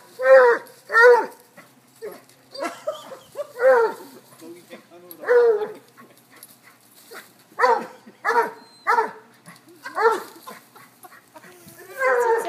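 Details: A chase game among a cocker-hound mix, a Basset and a corgi brings steady, resonant barking. A dozen or more barks sound in quick pairs and singles, with quiet background voices between them.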